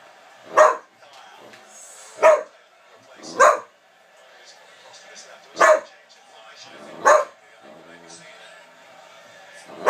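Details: A whippet barking: five sharp, loud barks spaced about one to one and a half seconds apart, with faint background noise between them.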